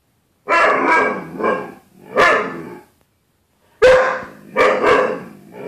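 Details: Bruce Wayne, a house dog, barking at his reflection in glass closet door on 4.4.13: loud, harsh, rapid barks in two pairs of double barks with a short pause in between.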